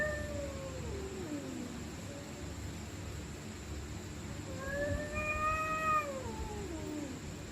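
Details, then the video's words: Stray cats screaming and growling at night while fighting: two long wailing yowls, each rising then sliding down, the second louder and drawn out near the end, over a steady low background hum. "Stray Cats Screaming At Night||Angry Cats Growling Sound|Cats Fighting Sound|Cat Making Creepy Sound"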